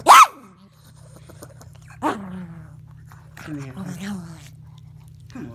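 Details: Chihuahua at his nightly bedtime play session: one sharp, loud yap opens, followed by quieter descending whines and a wavering grumbling moan near the end, over a faint low hum.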